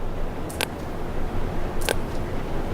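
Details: A sperm whale gives two sharp, broadband echolocation clicks, regular, slow and omnidirectional rather than beamed, over a steady low rumble of background noise.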